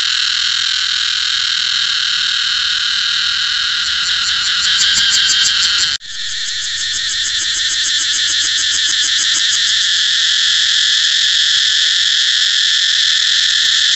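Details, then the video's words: Cicada song, an intense metallic buzz that swells and pulses, cuts off abruptly around six seconds, then restarts with rapid throbbing before fading into an even, sustained shrill hum. "cicada เสียงจั๊กจั่น"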